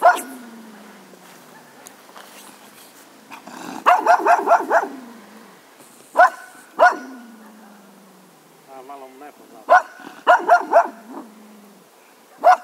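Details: Grumpy Cocker Spaniel giving scattered harmonic barks, some in quick clusters of four or five around the middle and again near the end, separated by quieter stretches with a low drawn-out whine.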